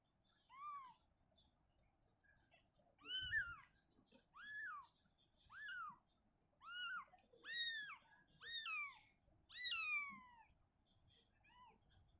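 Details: Shizuka the mother cat relocates her kitten from a cabinet to open ground indoors, calling steadily: about nine clear, arched meows, each rising then dropping, spaced roughly a second apart, with a soft bump near the start.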